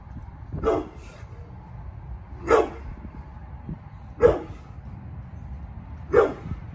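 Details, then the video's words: Pit bull named Bullet, nearly eleven years old, barking while protecting the yard: four single deep barks spaced about two seconds apart over a steady low background rumble. "PITBULL BARKING !!!"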